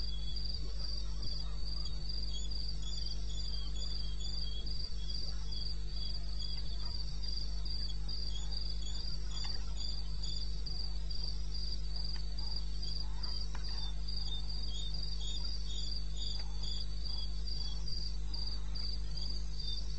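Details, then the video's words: Wild crickets at 02:30 on 21 May in eastern Botswana: a dense, clipped trill of high pulses beating steadily for the whole stretch, several insects layered together, backed by a continuous deep hum. "1 Hour cricket sound"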